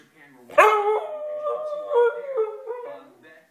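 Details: Siberian Husky that talks a lot, giving a drawn-out, wavering howl-like vocalization with rising and falling pitch lasting about three seconds; a person speaks to the dog before and after, asking about food.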